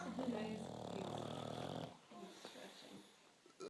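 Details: Hugo, a bulldog, snoring a little while awake: one long, rough, rattling snore for nearly two seconds, then quieter breathing and small noises.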